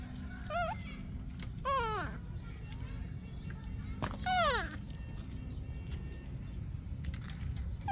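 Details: Baby monkey of Yaya crying for milk from Yoyo, three piercing descending screams with rich overtones within five seconds, then quieter stretches under low human chatter.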